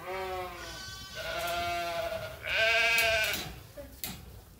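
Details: Sheep at Ewetopia Farms calling while waiting for their feed; a string of overlapping wavering bleats from more than one animal, with a few sharp clicks and knocks near the end.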